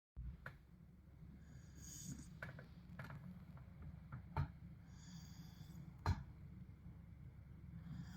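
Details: Sleeping Tibetan Mastiff snoring indoors, soft low rumbling breaths with faint airy hisses returning about every three seconds, plus a few sharp clicks in a quiet room.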